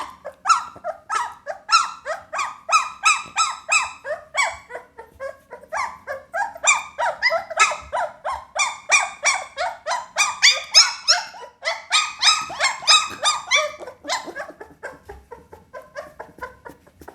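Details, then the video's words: Pit Bull puppy whining in a rapid, continuous stream of high, squeaky yelps, each short note sliding downward, packed several per second with only brief pauses throughout. "เสียงหมาน้อย ลูกพิทบูล"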